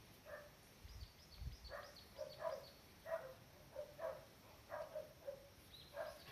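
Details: Cardigan Welsh Corgi puppies from Lupu's litter, playing in the garden on 16 October 2020, far more active than a week earlier; soft, high yips and whimpers repeat in short bursts roughly every half second, faint against quiet outdoor background.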